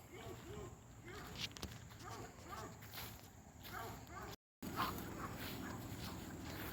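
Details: Hound dogs racing along a fence with another dog, Lucy, barking repeatedly in short arched yelps, roughly three to four per second, then a brief gap before more barks; footsteps and a person's voice outdoors in a rural setting.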